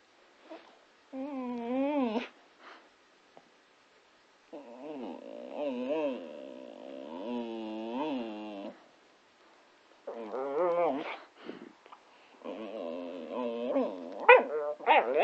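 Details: Patterdale Terrier named Scamp indoors "talking and singing": long warbling, wavering howl-like vocal passages in several bouts, with sliding pitch and rapid vibrato, separated by brief silences.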